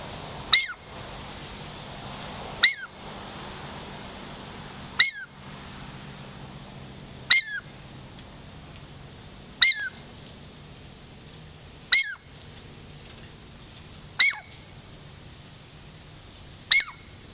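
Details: Girl Squirrel, a pet Douglas squirrel of the Puget Sound lowlands approaching for a treat, utters a steady series of eight piercing chirps, each dropping in pitch, roughly every two seconds over faint hum.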